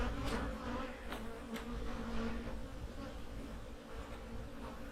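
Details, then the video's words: Honey bees in a hive in autumn, recorded during fall preparation for winter: a dense, even, low-pitched hum holds steady for the whole stretch, with a few faint high clicks from handling the frames. "My hives are humming along in the fall!"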